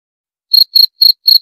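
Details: Cricket chirping: after half a second of silence, four short, shrill, high-pitched pulses follow at a steady quarter-second spacing, each a clean tone with a faint higher overtone, against a silent background.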